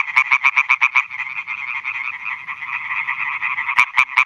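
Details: European tree frog (Hyla arborea) males calling for females at night beside new meadow ponds in Schleswig-Holstein, 2017. A loud nearby frog gives quick bursts of sharp, pulsed croaks, about five per second, over a steady background chorus of many other frogs.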